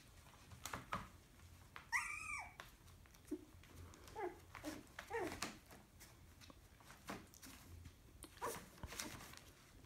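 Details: Wire fox terrier puppies indoors; a single high yelping whine rising and falling, followed by a few softer short whimpers and scattered clicks and bumps in a small room.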